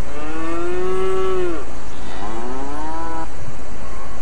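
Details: Cattle on pasture give two long, droning moos, the first steady then sliding down, the second rising, each over a second long, against a constant broadband rushing noise.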